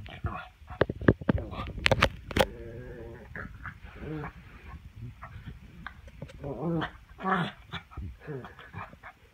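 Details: Black pug in a chin-grabbing game whines with rising, wavering whimpers and short grunts, amid sharp clicks and a person talking.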